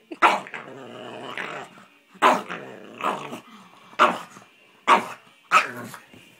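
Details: Pet dog barking and making strange noises at a piece of paper; six loud, harsh barks, each trailing into a rough growling groan, spaced roughly one to two seconds apart, with no other clear sounds.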